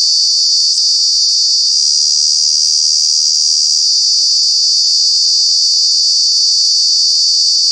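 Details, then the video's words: Cicada from Kanha National Park, noisy in the summer months, giving a sustained piercing buzz at high pitch, constant in loudness, with a faint tick near the start and nothing else clearly audible. "Cicada, Cicadas are true bug with very loud sounds"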